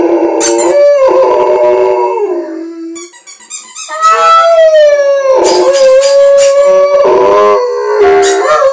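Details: Rhodesian Ridgeback joining in with the squeaking of a squeaky toy, long tonal howls holding and sliding in pitch, overlapping with high squeaks, some of them broken by short breaks.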